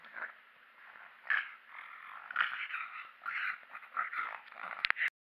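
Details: Mechan the pug, made angry on purpose, growls in gravelly, wheezy rumbles in a few swelling bursts, closing with a sudden sharp click-like noise before cutting off.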